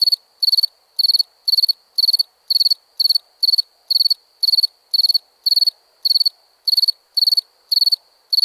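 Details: A cricket chirps steadily at night, high trilled bursts repeating about twice each second.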